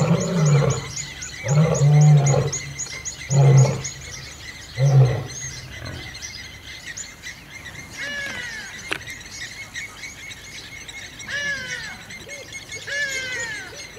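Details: Wild lion roaring at Kambaku River Lodge, Kruger National Park, during an old male's territorial fight with young males; four heavy, booming roars in the first six seconds, then fading into birdsong with whistled, sweeping calls.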